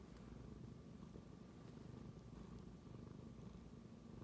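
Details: A tabby cat suddenly purrs after smelling a phone, a low, continuous rumble pulsing with each breath.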